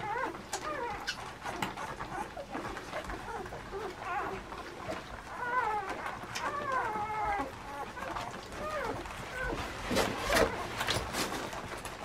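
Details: Puppies almost two weeks old give thin, squeaky whimpers that arch up and down, several overlapping in quick runs with short pauses between, over a steady background hiss and occasional soft clicks.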